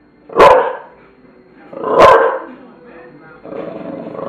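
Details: Tula the bulldog lets out two deep, gruff barks about a second and a half apart, followed by a softer, lower murmuring sound toward the end.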